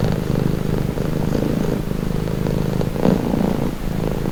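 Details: Cat purring softly and calmingly, a low grainy rumble with gentle pulsing as breaths alternate, slightly lighter breathy phases near the end.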